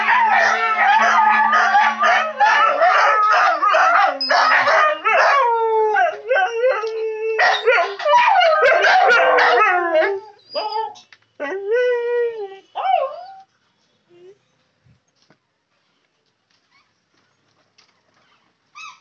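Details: Village dog calling loudly: dense overlapping howls and barks, many harmonic wavering tones sliding up and down, rapid for ten seconds, then thinning to a few falling howls before silence.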